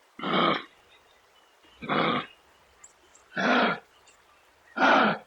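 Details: Kangaroo making four harsh, husky, breathy grunts, each about half a second long, spaced roughly every one and a half seconds, with quiet gaps between them.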